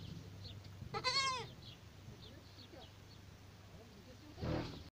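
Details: A goat kid gives a single quavering, slightly falling bleat, then soft faint chirps in the background and a brief burst of broadband noise near the end.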